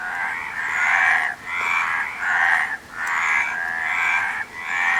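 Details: Frog croaks in long raspy bursts of roughly a second each, separated by short quieter gaps, repeated about four times in a few seconds.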